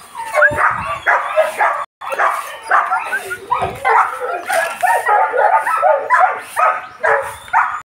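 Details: Dogo Argentino dogs, import lineage, male and female, yapping and barking almost without pause in quick clustered bursts, with brief whimpering tones and some human voices mixed in.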